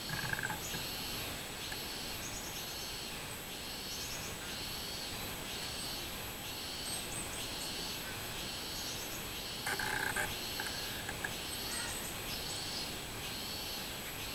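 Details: Robust cicada singing on 24 July 2016: a steady series of buzzy, pulsing phrases, roughly two per second, with a short bird call breaking in near the end over a faint outdoor hiss.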